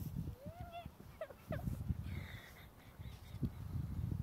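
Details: Miniature poodle puppy beside a horse it loves, giving thin, high whines that rise and bend, with a few short squeaky yelps, over steady low rumbling and handling noise outdoors.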